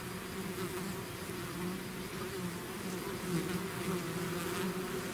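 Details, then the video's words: Bees swarming out of a hive: thick, constant low buzzing with a steady doubled pitch band and small rising and falling whines from nearby insects, no other sounds. "bees therapy swarm natural buzzing sound"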